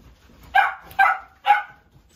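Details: Three clear, yappy barks from a Bichon Frise, evenly spaced about half a second apart, each with a short trailing tail.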